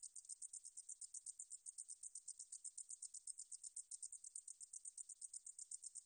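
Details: A meadow katydid (등줄어리쌕쌔기) gives a high, dry buzzing call, pulsed about seven times each second.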